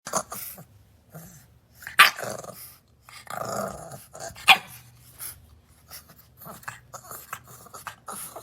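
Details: Indoors, a bulldog puppy called Roly-Poly, said to be mad, gives low rough growls broken by a few sharp short barks at irregular intervals, with brief rustling and handling noises between the bursts.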